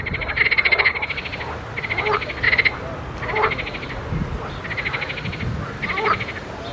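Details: Frogs croaking in a pond: rattling, pulsed bursts about a second long, repeated roughly every one to one and a half seconds, over a steady low background hum.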